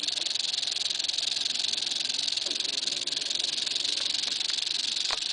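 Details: Eastern diamondback rattlesnake giving a sustained high, hissing buzz of a rattle, slightly uneven in pulse, with a few faint clicks and knocks toward the end.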